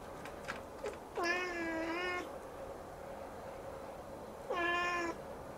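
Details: Siamese kitten indoors staring up at the ceiling and meowing insistently: two long, harmonic-rich meows about a second each, the first level and drawn-out, the second shorter and slightly rising, with faint clicks before.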